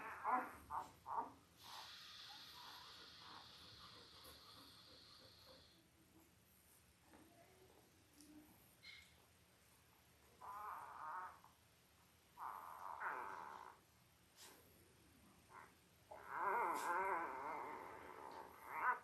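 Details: Five-day-old Labrador Retriever puppies from Belle's litter of five males and three females, born October 15, 2023, on a live puppy cam. Brief squeaks open, then harmonic whining bursts recur near ten, twelve and seventeen seconds over a steady high tone.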